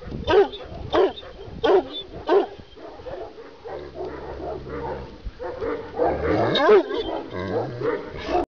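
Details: Kangal, a Kurdish shepherd dog from Sivas described as 90 cm tall and 90 kg, barking four deep, rough times in quick succession, then a pause with a low steady hum and softer mixed sounds before further hoarse barks.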